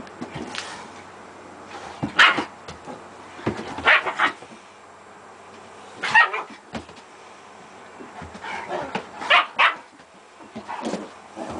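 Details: A German Shepherd named Gretta playing with her puppies gives short sharp barks and yips in scattered bursts, some paired, with quiet gaps between them indoors.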